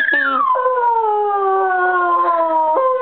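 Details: A Bichon Frise dog singing indoors: one long harmonic howl that slides down from a high opening note, then holds a steady, slowly falling tone, with a brief step back up near the end.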